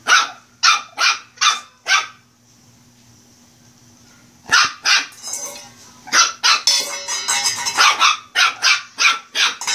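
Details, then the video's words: Shih Tzu puppy barking during play: five quick yaps, a short quiet gap, then a dense, excited volley of overlapping high barks with rougher, scratchy bursts mixed in. "My furbaby shih tzu puppy barking/playing"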